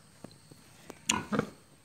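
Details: Pig on a farm in Assam, India, kept in the traditional local way: a few faint clicks, then two short, loud, rough grunts close together near the end, over a quiet indoor background.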